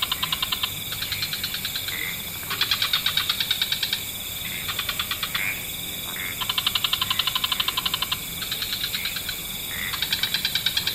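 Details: Frogs in a wetland at nightfall, many species together: repeated buzzy, rattling trill bouts, each lasting about one to two seconds and separated by short pauses, with a continuous high background hiss.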